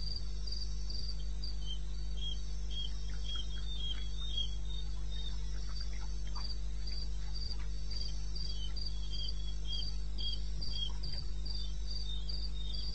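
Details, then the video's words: Crickets at night in the wild bush of eastern Botswana, taped 21 May at 2:30 am: a high, regular pulsing chirp repeating several times per second, overlapped by a busier lower cricket trill, with continuous low-frequency hum. "1 Hour cricket sound"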